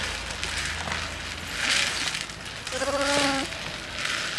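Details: African pygmy goat at a petting meadow, using a feeding ball as behavioural enrichment on a quiet day; one harmonic, wavering bleat of just under a second rises from steady rustling and crunching handling noise.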